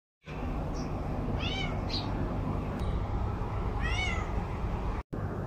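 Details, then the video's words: Domestic cat meowing indoors: two short, rising-and-falling meows about two and a half seconds apart, over a steady low hum of background noise. "meowing cat"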